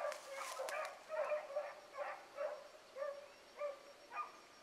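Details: Hound pups running a rabbit in the morning as the chase turns back. Bays come one after another, roughly every half second, each a short falling cry, with a brief crackle of handling noise at the start.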